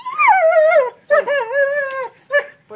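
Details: Buddy Bear, a dog, helping in the garden while digging. Three high, whiny whimpers: the first falls and sags, the second is longer and wavering, and the last is a short yelp-like whine.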